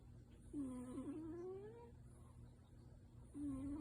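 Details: Sleeping tabby cat Yuki, louder than her usual nasal snuffles and possibly dreaming, lets out a rising whimpering moan and then starts a second one, against a low steady room hum.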